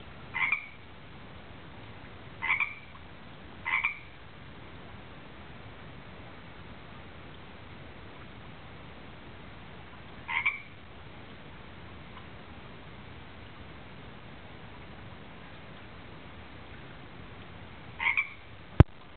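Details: Pond-dwelling tree frog singing with short, sharp, high double notes, five calls spaced irregularly across the stretch, some close together and some after long pauses, with a faint steady hiss and one click near the end.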